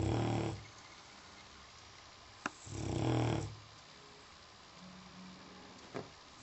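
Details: A dog asleep snores with deep, gravelly inhalations spaced about two and a half seconds apart, a faint soft click and hum in the quiet gaps.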